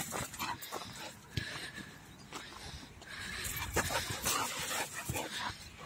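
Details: Energetic American Staffordshire Terrier jumping on its owner, giving short irregular whimpering bursts amid scuffling and rustling, with the owner's Polish voice telling it no and crying out.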